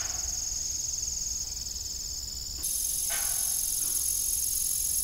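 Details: Crickets at evening on an old farm with a disused windmill: a dense, continuous high-pitched trill in two stacked bands that shifts and grows louder midway, with a brief creaking burst near three seconds.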